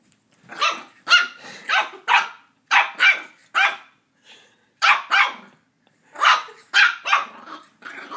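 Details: Border Terrier puppy attacking a squeaky toy, giving short harsh barks and growly yaps in quick bursts, about a dozen spread over eight seconds with brief pauses between groups.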